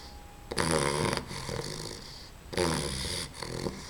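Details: Two loud, harsh snoring breaths from Babs the dog as a sleeping puppy, each grating snore lasting around half a second to a second, separated by a softer exhale, indoors.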